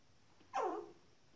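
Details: A single short, descending squeal from a 19-day-old Shetland Sheepdog puppy, sliding downward over about half a second against a quiet background.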